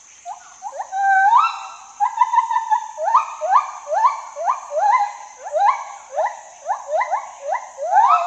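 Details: Gibbon calling with a series of rising, whooping notes repeated about twice a second. Each note sweeps upward with bright overtones, and the sequence builds into a steady, pulsing rhythm.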